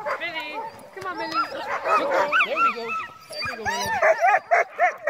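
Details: Several crossbred husky mixes in a dogsled team at night during heavy snowfall; bending, sliding howl notes and quick yelps overlap in a chorus, with a slight grinding from the foot brake and brief speech.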